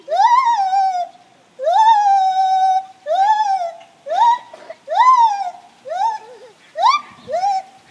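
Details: Gibbons in their morning chorus: long upward-sweeping whoops at first, then shorter, faster notes that break and wobble toward the end.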